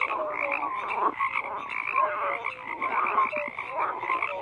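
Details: Frog chorus with overlapping croaks, buzzy pulsed calls mixed with brief sliding tonal notes, roughly one call a second standing out from the steady din.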